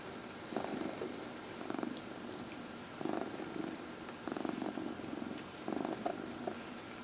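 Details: Cat purring under a massage, from a household of four cats. Steady purr swells louder roughly every one to one and a half seconds, a rhythmic rumble with brief quiet gaps and faint room hiss.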